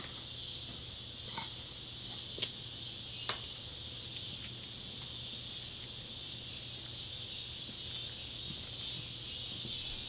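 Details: Neotibicen pruinosus and Neotibicen tibicen cicadas at sunset by an old tobacco barn in Ballard County, Kentucky, July 31, 2013: steady high, rasping drone throughout, broken by a few sharp clicks early on.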